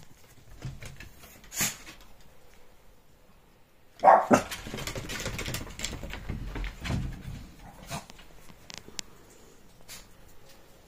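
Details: A Shih Tzu at playtime gives a few sharp, isolated barks at the neighbours' dogs, in a small indoor room.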